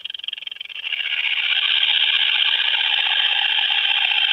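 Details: A short-winged conehead (Conocephalus dorsalis) at Hirschau, Germany, on 27 July 2019 gives a few quick ticks, then a long, steady, high-pitched buzzing song.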